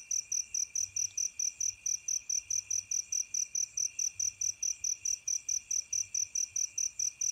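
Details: Crickets at night, described as fighting, chirp in rapid, evenly spaced high pulses, about four per second, over a steady thin whine.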